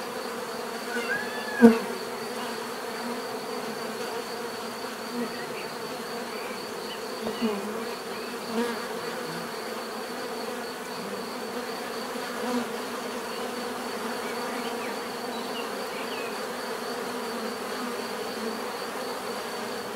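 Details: Natural buzzing of bees, a softer continuous hum with occasional louder passes as individual insects fly close, plus a faint steady high tone in the background.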